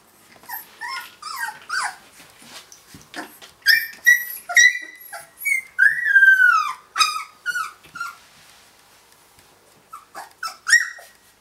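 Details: Three-week-old Finnish Lapphund puppies playing after breakfast, giving high whistled whines and squeaky yelps, some long rising-falling squeals, in bursts with short pauses between.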